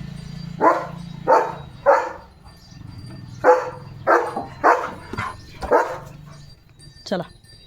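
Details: Leo, a pet German Shepherd, barks in a playful moment after running off with a shoe in his mouth. He gives about nine sharp, harsh barks in uneven bursts, some in quick pairs, over a low murmur of household voices.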